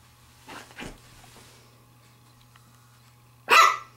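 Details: Pembroke Welsh Corgi puppy, a female aged 7 weeks and 6 days, at play with a glove: two soft muffled huffs, a pause, then one loud, sharp, high bark over a steady low hum.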